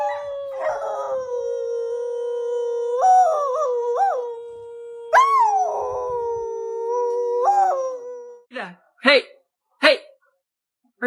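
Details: A dog in a funny home pet compilation gives a long sustained howl that holds steady, wavers and rises in short bends, then breaks into a few sharp barks at the end; indoor setting.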